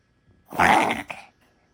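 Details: Papillon dog named Popo having a reverse sneeze, a spasm said to be common in small dogs; one harsh, raspy snorting burst lasting under a second, then a brief second snort, in a quiet indoor room.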